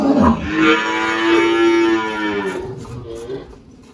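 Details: Girolando cow named Malhada, 18 years old, on a farm in Anápolis, Goiás, Brazil, 1 March 2023; a long harmonic moo held steady for about two seconds then fading, with faint background music.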